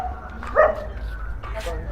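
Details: Around midnight, on a dark, hazy street, a dog gives a single short, sharp bark at people walking from home to a worship ritual, who are talking nearby.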